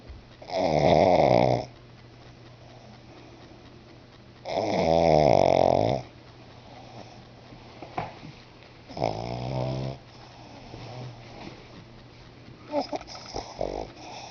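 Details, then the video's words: Sleeping pet pug named Bruno in a small room: three heavy, rasping snores spaced about four seconds apart, followed by quieter snuffles and faint rustling. "MY FUNNY PUG BRUNO SNORING"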